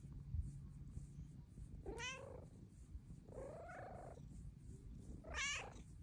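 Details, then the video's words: Luna, a Bengal cat whose purr grows louder with age, meows to ask for petting: two rising-falling harmonic meows near two and five seconds with a softer drawn-out meow between them, over a low continuous purring rumble. "Pretty kitty meows for pets!"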